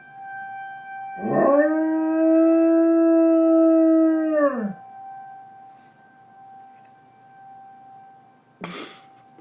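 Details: Steady mid-pitched dog howl lasting about three seconds, held flat before falling off, prompted by a tornado siren whose continuous tone hums underneath; a brief noisy burst follows near the end.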